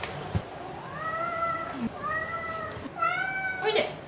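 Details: A pet cat at home meows three times, each call rising then holding steady, the last sharper and more insistent, with a soft hum and small thumps in the room.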